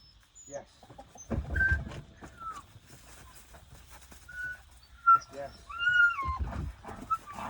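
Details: Puppies wait at open kennels during calm-release training, giving high, thin whines that rise and fall, several short and one longer drawn-out cry near the end, mixed with human voices and soft handling noises.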